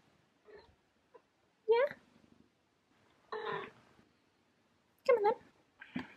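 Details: Mouse, a female pet cat, meowing indoors in the morning to ask for breakfast after waiting for her owner to get up; two loud drawn-out meows that rise and fall, with a woman speaking softly between them.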